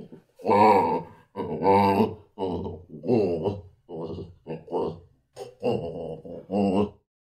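A baboon gives a series of harsh, throaty grunting calls, each a second or so long.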